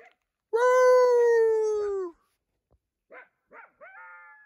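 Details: At night beneath a full moon, a coyote answering a person's calls gives a long, steady, slightly falling howl, then a few short rising yips.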